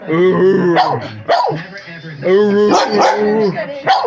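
Siberian Husky giving drawn-out, wavering yowls that rise and fall in bursts about a second long.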